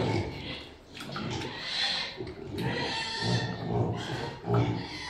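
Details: Domestic pigs during mating, a sow in heat covered by a Piétrain boar on a farm: rough, low grunts and snorting roars in uneven bursts over a noisy barn background.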